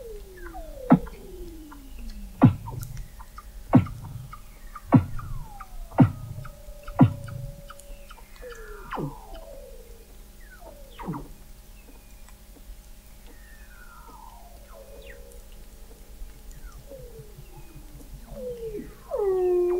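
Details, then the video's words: Weddell seals recorded under Antarctic sea ice in McMurdo Sound, November 2017, by a seafloor observatory 21 m below the ice. A run of loud clicking chirps with low thumps gives way to descending whistled glides and trills. "Song of the Antarctic Weddell Seal"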